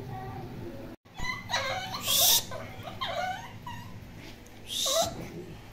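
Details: Poodle giving a series of high, whining whimpers and short yelps in separate bursts, with quieter stretches between them and a faint human voice in the background.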